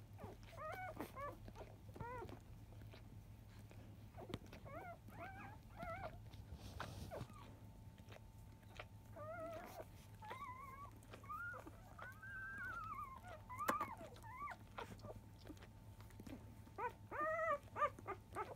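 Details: Labrador Retriever puppies of field lineage, five days old, at morning nursing at 10 o'clock; their mother biscuit was 2017 JFA Grand Champion. Clusters of thin, bent squeals and drawn-out whines alternate with quieter pauses, soft rustling and a low hum.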